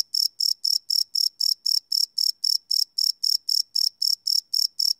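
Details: Chirping crickets in the night, recorded live with no looping on a Sony PCM D100 field recorder; crisp, shrill pulses repeat evenly about four per second against quiet.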